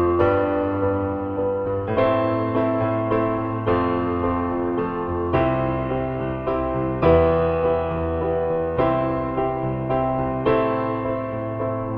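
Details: Gentle electric piano chords ring out one after another, with no animal calls.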